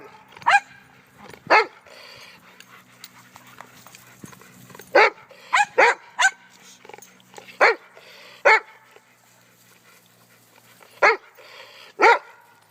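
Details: On Thanksgiving, dogs bark at one another, about ten loud, abrupt barks spaced irregularly, some in rapid pairs, with quiet household background between them.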